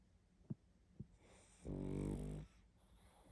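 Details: Sleeping pug snoring heavily indoors: a few soft breath ticks, then one loud rasping, buzzy snore lasting under a second.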